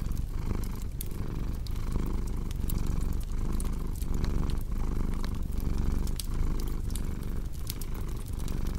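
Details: Cat purr paired with a cozy fireplace for sleep and relaxation, a continuous deep rumble that swells and eases in regular breathing cycles while wood fire crackles and pops throughout.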